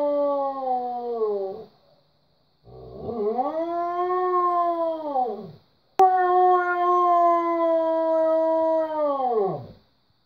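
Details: A Siberian Husky, hearing coyotes calling through the window, answers with three long, wavering howls that swell, hold steady, then slide downward.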